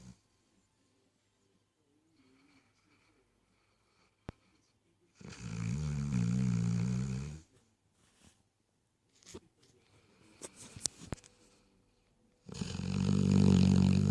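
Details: A Weimaraner snores while dreaming, in deep, rumbling bursts, with quiet rustling and soft breathing between them.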